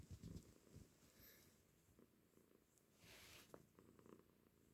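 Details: Purring house cat, a soft low rumble that is loudest at the start, fades slightly, then is joined by a brief hissy rustle in a quiet indoor setting.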